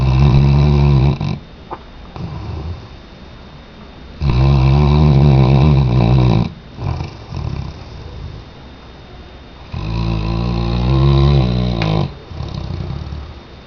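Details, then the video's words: Deep, resonant snores from Tchesco, a Weimaraner fast asleep, come in three loud, humming inhalations about two seconds long, spaced four to five seconds apart, with softer breathing between. "Weimaraner-Tchesco Roncando 2"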